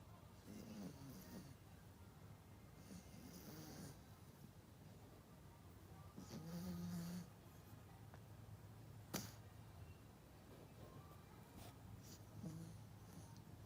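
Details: Yorkshire Terrier named Melody, a pet dog sleeping deeply at home, snoring softly: low rasping breaths repeating every couple of seconds, with a few faint clicks and light room noise.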